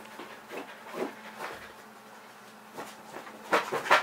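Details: Leroy, a pet Kerry Blue Terrier, panting because he wants to play: quick, breathy, noisy bursts in an uneven rhythm, softer at first and then a louder cluster of rapid huffs near the end.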